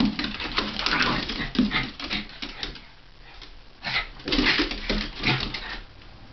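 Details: A Havanese and a Jack Russell play fighting and wrestling, recorded in January 2010: rough bursts of playful growling and snarling with short yips, coming in bouts with quieter gaps between.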